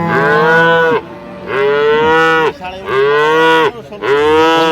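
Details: At Ambari haat market in Dinajpur on 28/9/25, among improved-breed dairy cows and calves for sale: four fairly high, nasal moos of about a second each, repeated in quick succession, with faint crowd noise between them.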